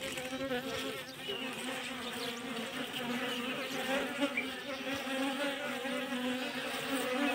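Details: Colony of Kashmiri Apis cerana bees being fed in winter, a dense continuous hum holding a strong steady drone with gentle pitch wobble and a few faint clicks.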